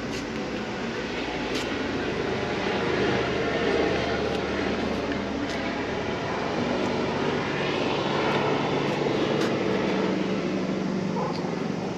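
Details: A fishing harbour in Japan gives a loud, continuous engine-like drone with faint voices in the background, and no animal sound stands out.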